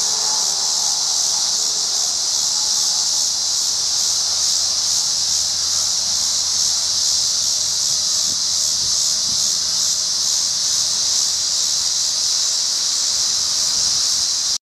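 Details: Tibicen dealbatus cicada walks and calls in a wind-tossed tree at an I-70 rest area in Colorado at 7:44 p.m., August 25, 2011, darkening early under an oncoming storm; sustained piercing buzz with slight rhythmic throbbing, low wind noise.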